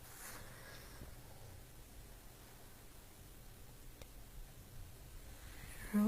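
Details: Only faint indoor background hiss and light rustling are heard, with no animal calling.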